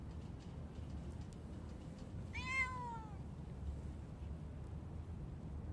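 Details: Street cat in spring giving one short, clear meow that rises and then falls, against a steady low background hum.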